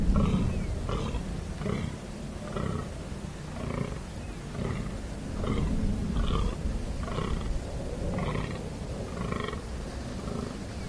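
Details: During the rut in the Amsterdam Waterleidingduinen dunes, a bellowing fallow deer gives deep, belching rutting groans, repeated in a steady rhythm less than a second apart.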